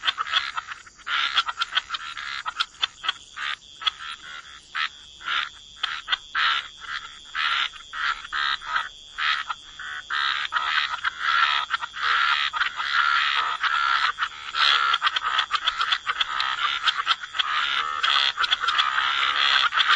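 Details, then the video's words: Frogs of the wetlands in full chorus: rapid rasping croaks in quick separate bursts that gradually crowd together into an unbroken throbbing din, accompanied by a steady high hum. "Frog Lullaby: Relax to the Sound of Croaking Frogs"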